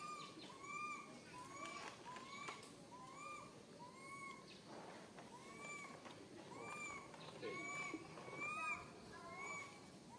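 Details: Tiny baby monkey alone and stuck high in a tree, crying fearfully for its mother: short, arched, tonal wails with bright overtones, repeated about once a second, with faint chirps and outdoor background noise.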